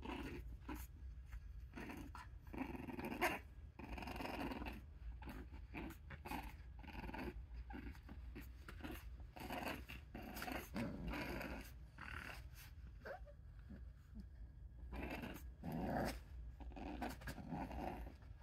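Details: Two 6-week-old red brindle and white English Bulldog puppies grunt, snuffle and give short growls in quick, uneven bursts indoors in Darlington, South Carolina.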